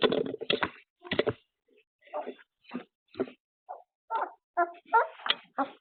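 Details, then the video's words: Labrador puppies caught on a surveillance camera after an afternoon nap, giving a run of short whimpering and yipping calls, bursts coming about every half second with brief pauses between. "Raw Puppy Cam Footage: What Puppies Do After an Afternoon Nap"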